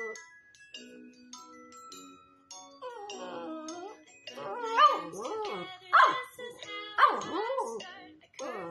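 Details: Boston Terrier singing along to the song "I'm A Little Valentine"; wavering, rising and falling howls with whining glides over a tinkling melody, strongest in three loud swells near the end.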